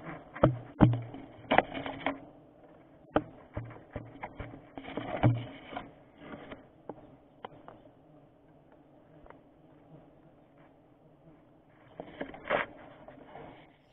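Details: Giant honey bees (Apis dorsata, tawon gong) during a honey harvest: a steady low droning hum runs throughout, broken by sharp irregular knocks and clattering handling noises, with louder bursts near the start and end.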